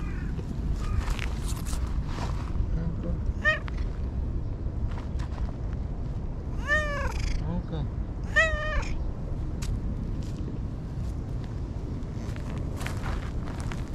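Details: Stray brown-and-white cat living by a lakeside in Japan, meowing repeatedly: a short meow near three and a half seconds, then two louder drawn-out meows around seven and eight and a half seconds, amid steady outdoor background noise and a person calling.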